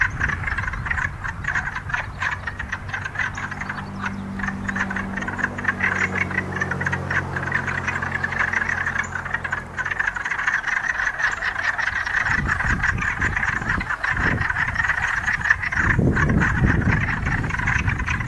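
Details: Wood frogs gathered to mate, producing a dense, continuous chorus of rapid, overlapping clucking croaks. A low droning hum runs beneath the first ten seconds, then fades out.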